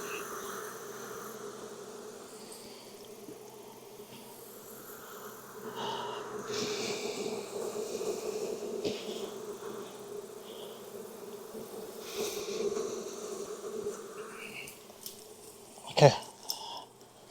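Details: Honey bees at a backyard hive in Texas during an inspection on a hot day around 92F after weeks of rain; steady low hum of many bees throughout, with smoker puffs, handling noise and a sharp knock near the end.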